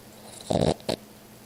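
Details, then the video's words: Sleeping cat Miss Piggy snores indoors, captured on an Android phone: a loud, rasping snort of about a quarter second, then a shorter second burst, over quiet electrical hum. "My Cat Miss Piggy snoring"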